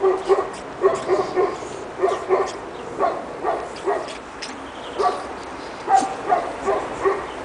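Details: Two-and-a-half-month-old Pekingese puppies out in snow for the first time, Tallinn, Estonia, give sharp thin yips in clusters of two or three, pausing briefly between bursts over a faint hiss.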